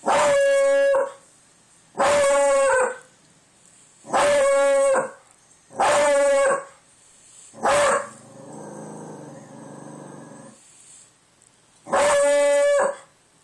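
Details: Indoor dog howling at the door in reaction to wind heard outside, repeated loud rich-toned howls about every two seconds, with a pause around 8 to 10 seconds filled by a softer rumbling noise.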